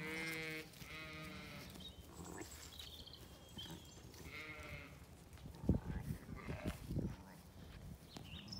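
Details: Zwartbles sheep with lambs in an Irish paddock in County Kilkenny; two strong, harmonic bleats come in quick succession at the start, another follows around five seconds, then soft thumping and rustling sounds.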